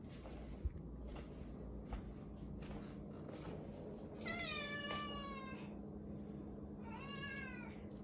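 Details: A male domestic cat gives long, drawn-out meows that slide downward, which he has kept up for about five minutes, wanting to be let out into the garage.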